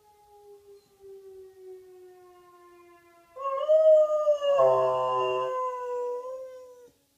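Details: A pet dog called Bear answering a siren: a faint, slowly falling siren tone is followed by the dog's loud, wavering howl that swells, breaks briefly into a rougher note, then settles and tapers off.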